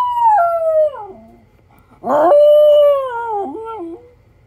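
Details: Miniature Schnauzer howling and crying indoors: a long wavering tonal howl slides downward, then after a pause a loud whiny burst settles into a sustained howl that wobbles and trails off. A faint low hum runs underneath.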